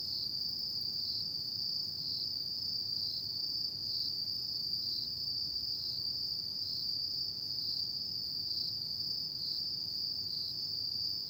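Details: Night chorus of autumn insects: a steady, shrill, unbroken trill with slight regular pulsing, over a soft low hum of ambient noise.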